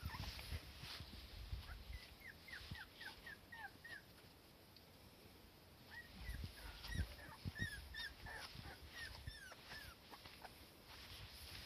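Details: Cardigan Welsh Corgi daughter with her mother under warm sun, uneasy without the mother right beside her; series of thin, high, down-slurred whimpers over a low rumbling outdoor background.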